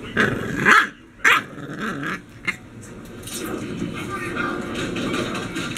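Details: An English Bulldog puppy fighting at a baby gate, upset at being left alone, lets out a few loud, rough growling yaps, then quieter grumbles as a person talks.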